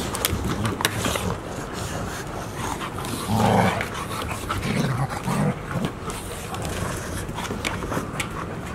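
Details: Golden Retriever puppies at Ain Village, filmed 11 October 2018: a short, low, voiced dog sound swells mid-clip, followed by two briefer grunting notes, over steady rustling background noise.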